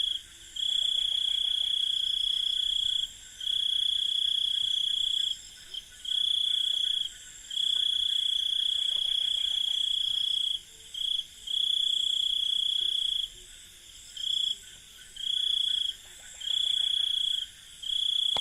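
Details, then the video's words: Indian village night ambience: crickets trill in high, ringing bursts of uneven length, some long, some clipped short, with short silences between, faint clicking pulses underneath and a steady wash of distant insect hiss. "INDIAN Village Night Ambience 001 | Crickets with Birds"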